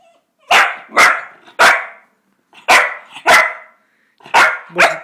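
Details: A Cocker Spaniel puppy gives sharp, repeated barks in uneven bursts, asking its owner for something, as it usually does to get outside or for dinner.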